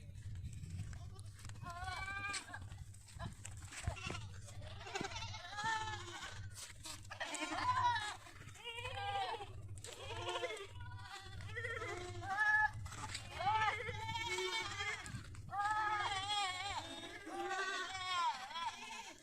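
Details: Goats on a goat farm in Pushkar, Ajmer, Rajasthan, India, bleating in a dense overlapping chorus: quavering, wavering cries that rise and fall, nearly continuous, with a steady low electrical hum beneath.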